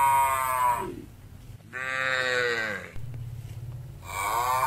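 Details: Village cattle eating grass greedily while being fed: three harmonic moos, the first and last loud and drawn out, the middle one slightly bending in pitch, with a low background hum between calls.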